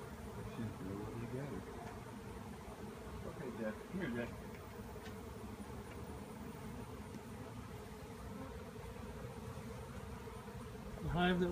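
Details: Honeybee swarm in the air after a tree cutout, leaving the hive empty; a continuous low wing drone with occasional voices breaking in and a louder rustle near the end.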